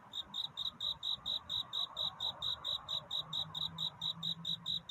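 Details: At night toward dawn, a cricket repeats bright, high-pitched chirps, several each second, in an even, quick rhythm, its courtship song for a mate; a faint low hum rises beneath it near the end.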